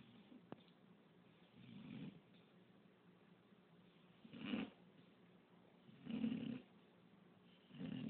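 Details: English bulldog that snores constantly; soft, breathy, rasping snores recur every one and a half to two seconds at low volume over faint background hiss.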